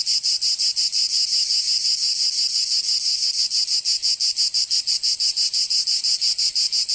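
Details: Cicadas of southern France's Provence in summer: a piercing, metallic buzzing song beating in fast, even throbs, steady throughout with a clean natural background.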